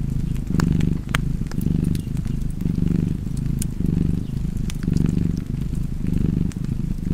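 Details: Low continuous cat purr next to a fireplace, rumbling in even breath cycles a little over a second apart, with bright crackles and snaps of the fire scattered throughout.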